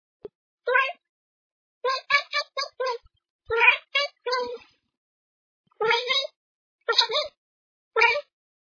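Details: Bengal kitten chattering at birds: short, harmonic, chirpy bursts, some in quick runs of four or five, others single, separated by brief silences.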